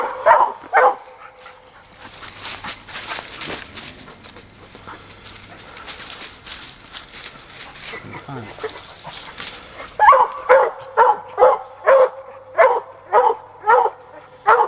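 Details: Sadie, a young Black and Tan coonhound, barking during a coon hunt; two barks, a long stretch of rustling and voices, then a steady run of barks about twice per second.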